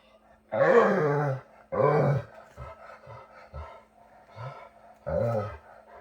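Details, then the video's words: Dog giving Chewbacca-like calls: three loud, hoarse, wavering groans rising then falling, each under a second, separated by short soft grunts and huffs, over a steady low hum in a quiet room. "My Dog Buster Sounds Like Chewbacca"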